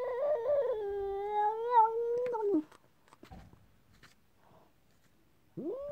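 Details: Talking cat, described as not very happy, lets out a long, drawn-out, wavering meow lasting over two seconds, then after a quiet gap starts another rising meow.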